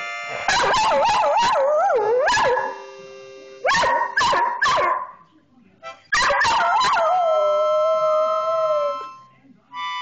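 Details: An Australian Cattle Dog "sings," howling in wavering, rising and falling tones along with its owner's harmonica chords.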